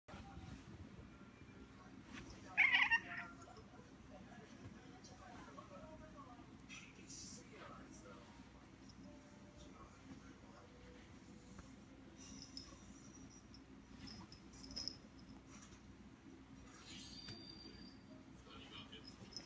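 A Bengal cat gives a single loud, rising meow, followed by faint household sounds.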